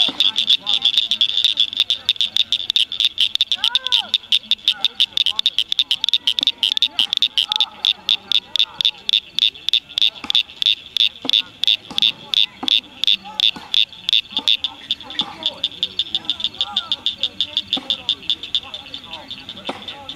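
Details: Rare Blanchard's cricket frogs singing at Cricket Cove Park near Cygnet, Ohio, in May 2006; a long series of hard, pebble-like clicks that speeds up to about three per second, then loosens, over a ringing high chorus and faint lower whistles.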